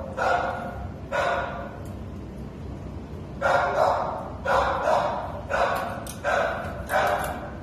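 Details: Treeing Walker Coonhound up for adoption, 13 November 2019, gives a run of seven loud, short, ringing barks or bays. Two come early, then five follow more quickly in the second half, with a quiet indoor background between them.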